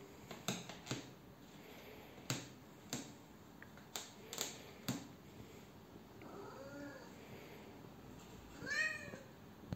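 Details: A Siamese cat begging for custard apples, wanting the packaging opened: sharp tapping and crinkling clicks come first, then a soft, drawn-out meow and a clearer, rising-falling meow near the end.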